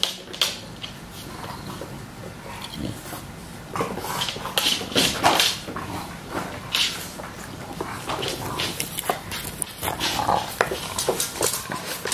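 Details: Two English Bulldogs, WanWan about 2 years 309 days old and Fe about 2 years 225 days old, recorded indoors on 27 April 2017; irregular snuffling, grunting and whimpering bursts with clicks and knocks throughout.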